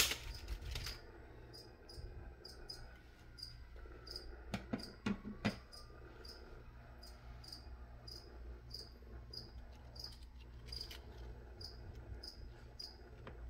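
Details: Cricket chirping indoors during an ASMR plant-spraying session: short high chirps repeated steadily about twice a second, with bursts of spray hiss and a few soft knocks early on over a low room hum.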